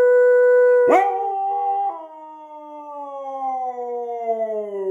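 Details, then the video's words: Siberian Husky giving a sustained howl. A steady tone cracks abruptly after a second, then settles into a long, slowly falling wail that fades toward the end. "Husky aullando"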